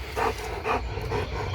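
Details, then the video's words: German Shepherd barking at a pressure washer: four short, gruff barks about half a second apart over a steady low machine hum. "German Shepherd VS the pressure washer"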